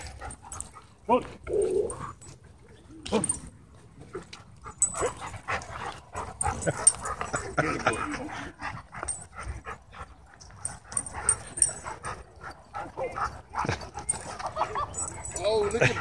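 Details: Dogs in a dog park scuffle, a pitbull hybrid attacking two dogs; sharp irregular barks and yelps come in bursts, mixed with people's voices and background noise.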